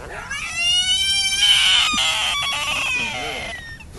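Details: Large frog screaming while a group of men listen: a loud, high, harmonic-rich wail that rises then holds steady for about three seconds before fading, with faint voices in the background.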